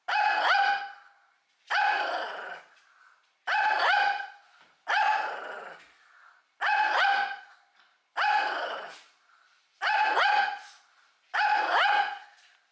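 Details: Shih Tzu barking continuously to threaten, as it does at every meal: eight strained, harmonic barks in a steady rhythm, roughly one every 1.5 seconds, each rising slightly then trailing off, with quiet between.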